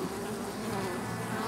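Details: Honey bee drones and workers buzzing around a colony nesting in an oak tree in Tampa, Florida, as it grows and prepares to swarm with a new queen; steady low droning hum with banded tones near the low end, continuous throughout.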